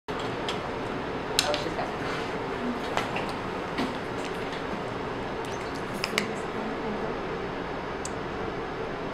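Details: Clinking and clattering of tools with faint room murmur and scattered clicks, no animal voice heard.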